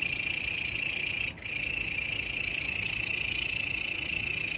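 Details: Grasshopper, a master sound for training songbirds, produces an unbroken high hissing drone with fine rapid pulses, briefly dipping for a split second before resuming steadily.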